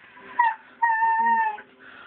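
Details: Female husky crying because she is being blown on: a brief high whine, then a longer steady whining cry that slowly falls, recorded on a phone in a quiet room.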